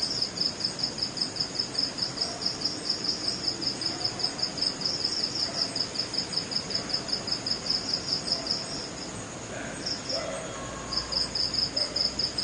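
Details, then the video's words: Crickets in West Bengal, India, give their night-time mating call, a steady, rapid pulse of high, clear chirps. "Mating Call Of Crickets At Night"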